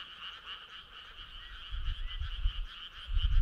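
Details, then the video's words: Summer-night frog choir: rapid, overlapping trills form an unbroken buzzing chorus, while low rumbling noise grows louder toward the end. "Cool frog sound"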